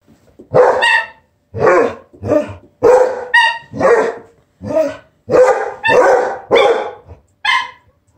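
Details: A Basset Hound barks in a deep, hoarse series, answered by short higher chirping yips from a Chihuahua.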